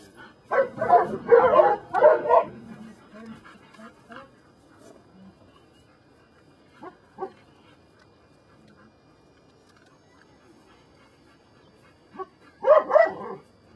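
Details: Belgian Malinois named Brujo from the des Champs kennel in Mexico, working on control for personal protection training. A dense run of harsh, rapid barks opens, then quiet with a man's Spanish commands, and a short final burst of barking.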